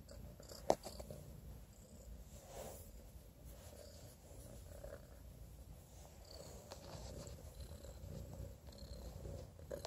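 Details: Young male Domestic Shorthair kitten, one-eyed after an infection, affectionate and attention-seeking, in an adoption setting; a continuous, even, low purr fills the recording, with one sharp click near the start.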